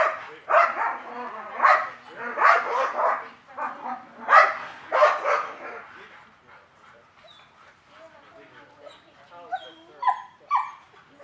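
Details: German Shepherd in a training class on 10 November 2019 for desensitizing dogs with aggression, giving a burst of about seven loud, harsh barks over five seconds, then quieter scattered sounds with faint voices.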